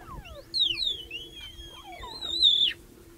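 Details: Cheetahs in Olare Motorogi Conservancy, Kenya, a mother, her three cubs and a young male intruder joining the group, give high, bird-like chirps that sweep downward, several overlapping in quick succession.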